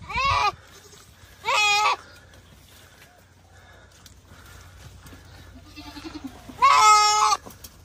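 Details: Large goat under attack from a Komodo dragon bleats three times, two short cries close together, a quiet gap with faint rustling, then a final loud, strained bleat.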